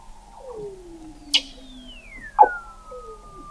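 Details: Weddell seals under the sea ice of McMurdo Sound, Antarctica, recorded in November 2017 at the McMurdo Oceanographic Observatory, 21 m below the ice: long gliding whistles sweep downward, one high and one lower, crossed by two sharp knocks.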